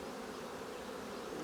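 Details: Honey bees at the hive during a honey harvest from fully capped combs; a steady, even droning hum of many bees fills the short stretch without a break.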